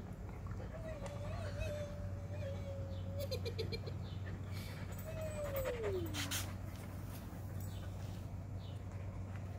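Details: Husky playing, its voice a drawn-out wavering whine or howl held steady for about two seconds, then a second cry sliding smoothly downward, over a low hum with a person's voice nearby.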